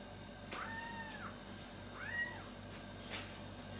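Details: Kitten calling for its mother cat, giving two drawn-out arching meows about a second apart, fairly quiet over a constant low hum and soft background clicks.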